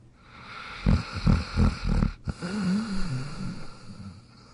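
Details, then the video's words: Sleeping in his dog bed, Jack gives four quick low snorting snores about a third of a second apart, then a longer wavering, whiny nasal breath that fades away. "Jack Sleeping & Snoring in his Dog Bed"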